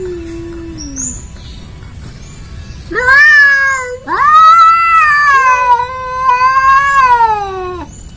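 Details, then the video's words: Angora cat meeting a village cat, quarrelling: a low moan, then loud rising yowls with rich harmonics, a long wavering wail held for several seconds and sliding down at the end, with faint high chirps in the background. "Suara Kucing Anggora"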